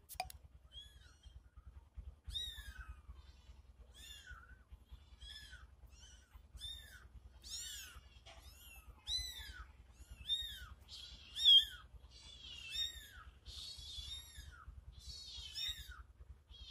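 A disturbed kitten gives high, thin meows in quick succession, answered by its mother's meows.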